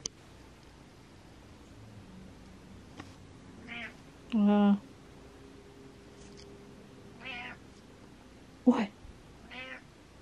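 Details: Cat meowing indoors; a faint short meow, then a louder sustained harmonic meow, followed by several soft, brief mews spaced over the remaining seconds against a low steady hum.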